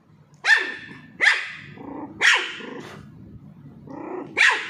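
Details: A Pomeranian (Indian spitz) puppy, being teased while playing with a ball, gives sharp, high yappy barks spaced about a second apart.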